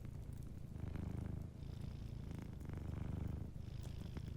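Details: Gentle purring from a sleeping cat beside a warm fireplace, a deep continuous throbbing rumble rising and falling with each breath, with light fire crackle in the background.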